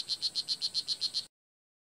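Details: Strawberry poison dart frog (blue jeans poison dart frog), wild at the Kahka Creek Rainforest Preserve in Nicaragua, giving a fast buzzy call of nine short high chirps, about eight per second, in a quiet rainforest setting.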